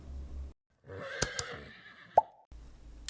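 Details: Horse neigh presented as a farm animal sound: a harmonic whinny lasting about a second and a half, with sharp clicking plops over it and a brief tone near its end, after a short stretch of music.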